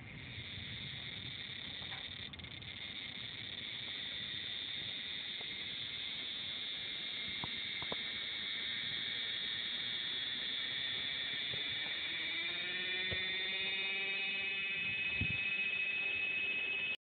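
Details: Cicada giving a continuous high buzzing drone that holds steady throughout, with a layered tonal, harmonic sound swelling in over the last five seconds.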